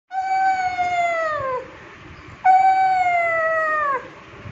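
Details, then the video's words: Ju, a 9-year-old rescued female pug, demanding attention: two long whines with clear harmonics, each sliding slowly downward over about one and a half seconds, separated by a short pause. "Old Rescued Pug Demands Attention"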